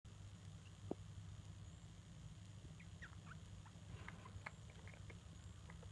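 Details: Pet degus, a parent with its young, chatter together indoors: faint, short upward-sweeping chirps and squeaks cluster in the second half, some in quick runs, over a steady low electrical hum.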